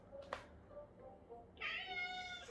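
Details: Adopted street cat reacting to footage of itself on screen: after a quiet stretch with gentle music and a faint tap, one drawn-out meow of about a second with rich upper harmonics.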